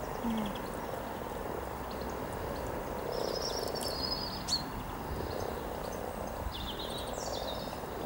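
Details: Hundreds of frogs mating near Cow Tower on the riverside walk in Norwich, 7 April 2013: a dense, continuous low purring croak chorus, with scattered high bird chirps and brief twittering above.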